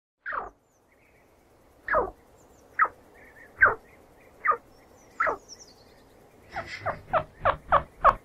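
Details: Chinchilla chirping: short, sharp downward-sweeping squeaks repeated at uneven intervals, then a quicker run of five near the end, with faint high twittering in the background.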